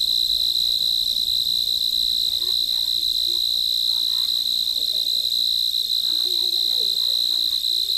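Crickets chirp in a steady, high, continuous trill that fills the night air.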